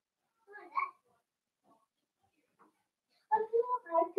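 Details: Blenheim Cavalier King Charles Spaniel puppies in a home puppy pen, playing with their mother; one short yelping burst near the start, then a quick run of four tonal, whiny yips at the end.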